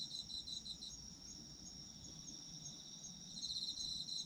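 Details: Night chorus of autumn insects: continuous shrill trilling high up, with a rapid pulsed chirping layer lower down that fades mid-clip and returns louder near the end.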